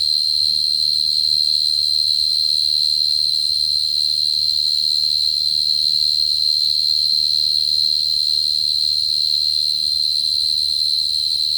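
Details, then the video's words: Bait recording of a short-tailed cricket singing a constant, piercing high trill that never pauses, with bright overtones, over a soft low rumble. "Tiếng dế cơm mồi"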